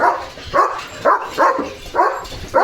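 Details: German Shepherd barking fiercely on a farm after hearing a bullock cart, angry after his bath; short harsh barks repeated roughly every half second, six in a row, with a person speaking Marathi nearby.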